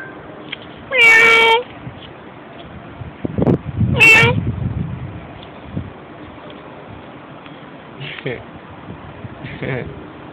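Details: A stray cat answers a person talking to it with two loud, harmonic meows near the start, then two fainter meows later; a human voice speaks between them over a steady low hum.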